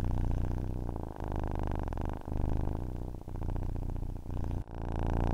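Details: A cat's purr meant for relaxing to sleep, heard as a low vibrating drone with soft breath breaks roughly once a second and a faint click near the end.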